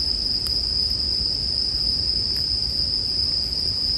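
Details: Bell crickets singing over a campfire in a sleep-music mix: one steady high ringing tone holds without a break, with soft low crackling and a few sharp pops from the fire underneath.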